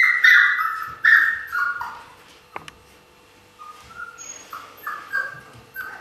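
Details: Siberian Husky puppies recorded in 2015: high whistled whines and squeaks sliding downward, several in the first two seconds, then softer short rising yelps after a pause, with one sharp click near the middle.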